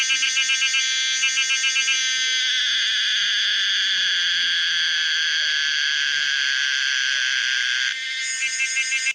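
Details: Pomponia linearis, the common cicada, opening with rapid pulsed buzzes, then swelling into a long, unbroken shrill drone that cuts off abruptly before pulsing resumes.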